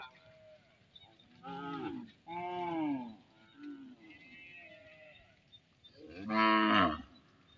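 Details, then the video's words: Cattle from a herd of tens of thousands returning home past the edge of village fields in Indonesia; three loud harmonic moos, the first two falling in pitch around 1.5 and 2.5 seconds, a louder one near 6.5 seconds, with faint higher calls between. "Puluhan Ribu Sapi Pulang Melewati Pinggiran Ladang di Desa"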